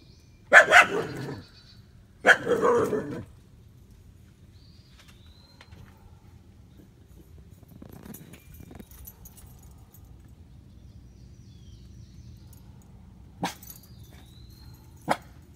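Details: Dog barking while being teased by squirrels: two loud, harsh barks early on, then a long quiet stretch with faint thin chirps and two sharp clicks near the end.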